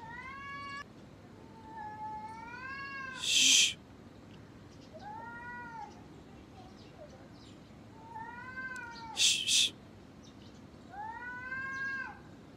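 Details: Gray tabby cat and ginger cat fighting: drawn-out wavering yowls that rise and fall, one around two seconds, another near eight, and a third at the end, broken by two sharp hissing spits.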